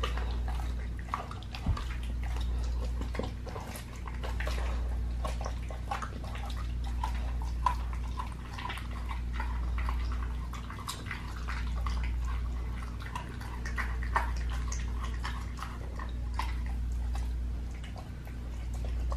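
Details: Pit bull dog eating a raw leg of lamb indoors, raw feeding: steady wet crunching and tearing bites packed closely together, gnawing on and on across the whole stretch over a constant low room hum.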